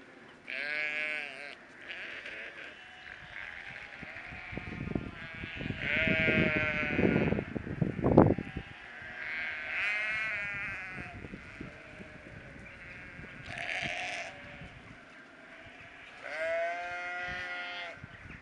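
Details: Large flock of about a thousand migrating sheep: overlapping wavering bleats come in repeated bursts from many animals, some near and loud, others distant, over a steady rumble of movement and hoofed shuffling.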